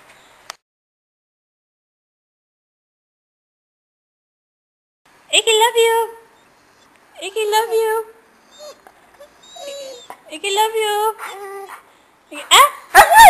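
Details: Blind, diabetic male Dalmatian–Basset Hound mix with a lazy eye, giving drawn-out, wavering whining howls in four bursts after about five seconds of near silence, each cry sliding in pitch, in a quiet indoor room.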